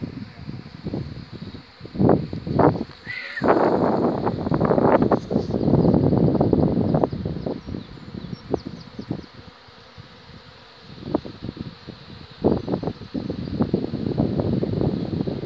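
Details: Swarming honey bee colony at the Borgstichting in Haarlem on 11 May 2017, bees leaving the hive with a queen. Dense, continuous low buzzing hum with loud surging bursts, fading mid-clip and then rising again.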